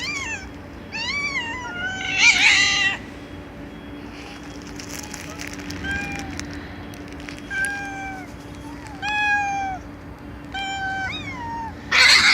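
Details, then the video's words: Domestic cats meowing loudly, a series of short, clear meows that rise and then fall, some quick and close together, others spaced several seconds apart, over a steady low hum. "Cats Meowing Loudly"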